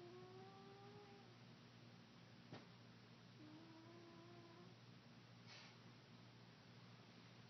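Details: A pet cat named China, just woken from snoring sleep indoors, gives soft drawn-out meows, the first gliding down and a later one held level, with a sharp click between them over a steady low electrical hum.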